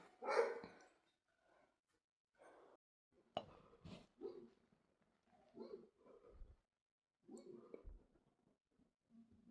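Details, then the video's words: Dog barking indoors in loud, sharp bursts, one strong bark at the start followed by scattered shorter barks and yips with quiet gaps between them. "dogs making noise"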